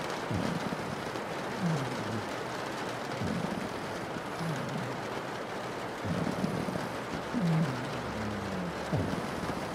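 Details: Snoring from a sleeping pug: deep, wavering low tones that dip and swell several times, some with short whistling edges, over a continuous wash of rain on glass.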